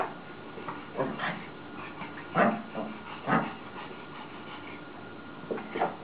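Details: Pekingese named Amechang playing with a papillon named Aiai; short whining yips and whimpers in scattered bursts, a few clustered around the middle, over a steady low background hum.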